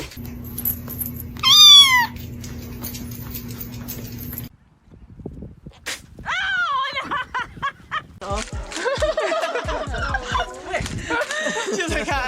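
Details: Cat in a funny compilation; one loud rising-falling meow with bright harmonics over a low hum, a pause, then a run of short wavering meows and cries, with laughter and people talking nearby.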